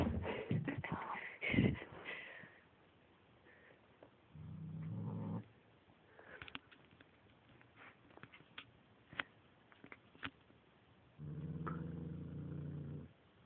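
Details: Bubba, a domestic house cat, faces off with a second cat indoors. He gives two low, drawn-out growling yowls of about a second each, the second starting near the eleventh second. Loud thumps, clatter and brief music fill the opening seconds.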